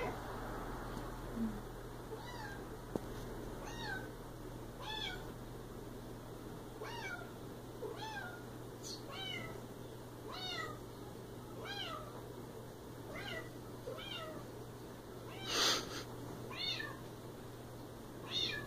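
A Siamese cat gives a long series of insistent, falling meows, one about every second.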